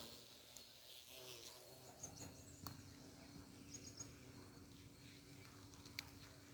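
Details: A bumblebee busy collecting nectar from flowers hums with a low, steady drone that holds one pitch over soft background noise.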